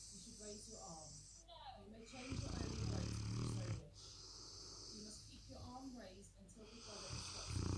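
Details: Loud snoring from a Presa Canario puppy: one long, low, rumbling breath midway, with a person's voice before and after it.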